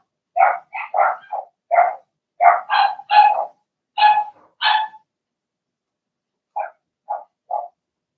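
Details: A Blenheim litter of Cavalier King Charles Spaniel puppies, six pups in an indoor pen, giving quick bursts of high, squeaky barks in a busy run, then after a pause three softer, lower yips spaced about half a second apart.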